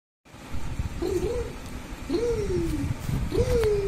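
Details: Pet cat giving three drawn-out meows about a second apart, each rising then gently sliding down in pitch, over a steady low rumble of background noise.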